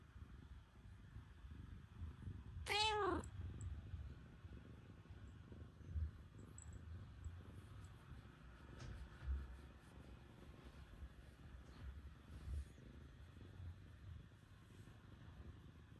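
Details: Terrace, a black cat, settles onto a lap first thing in the morning after a cold night, purring in a quiet, continuous low rumble; one brief, high, sliding sound rises over it early on.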